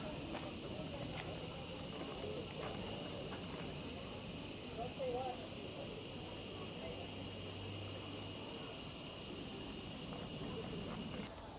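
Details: Cicadas at a small shrine in Kamakura, Japan, in midsummer fill the air with a loud, unbroken, high-pitched hiss that drowns out nearly everything else.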